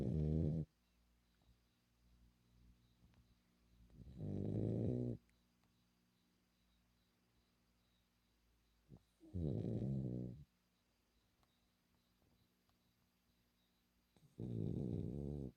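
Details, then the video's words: Female French Bulldog snoring indoors: four loud, rasping, low snore bursts, each about a second long, coming roughly every five seconds, with quiet breathing pauses between them. "BULLDOG FRANCÊS RONCANDO"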